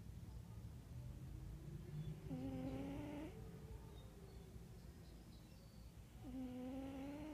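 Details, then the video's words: Wera, a cat, snoring in a low, whistly tone; two drawn-out snores about four seconds apart, each around a second long, over low background rumble and faint distant birds. "Wera roncando"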